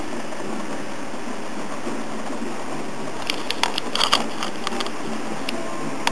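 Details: Steady indoor hum with scattered sharp clicks and taps midway, and no animal call.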